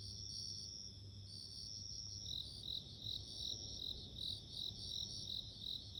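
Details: Bell crickets chirping, a sound of nature: bright high ringing pulses repeated rapidly in short bursts, several overlapping insect voices forming a steady shimmering chorus over a low background rumble.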